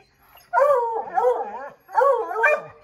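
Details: Treeing Redbone Coonhounds howling at a chipmunk hidden in an oak tree; two long, rolling bay-howls from several dogs at once, each wavering up and down and lasting over a second.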